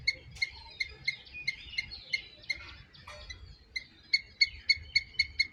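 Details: Loud squirrel chirping: short, sharp, high notes repeated about three or four times a second in runs, broken by a brief scratchy pause midway, over a quiet low rumble.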